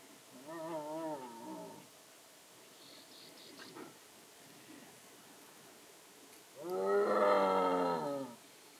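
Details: At dusk a young striped hyena roaming after sunset calls, seemingly for its mother. It gives two wavering, harmonic moans: a shorter, quivering one at the start and a louder, fuller wail around seven seconds. Soft faint sounds fill the gap between them.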